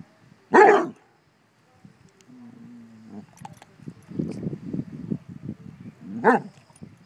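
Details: One loud deep bark from Basset Hounds reacting to a bumble bee, then a low hum and rustling sounds, and a second softer bark near the end.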